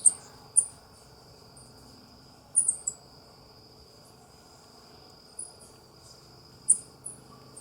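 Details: Ring-tailed coati (Nasua nasua) vocalizing: scattered, very high, squeaky chirps, some doubled or tripled, separated by quiet gaps of one to three seconds over a constant thin tone.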